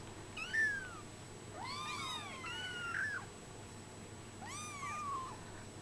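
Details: Brown Bengal kittens 24 days old giving three drawn-out, wavering meows, the middle one doubled and rising then falling, against a quiet indoor hum.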